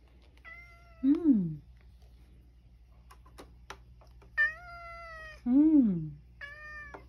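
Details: Male rescue cat at home in Japan, meowing around 6 pm near dinner time as an elderly woman asks whether it is hungry. Three clear meows: the first two are drawn out and rise then fall, the last is short. A low hum runs underneath.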